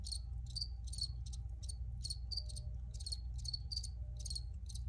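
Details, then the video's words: Dense cricket chirping: rapid, bright pulses in quick successive groups with few gaps, layered over a steady low background drone. "Free Cricket Sounds for Re-Use or Relaxation"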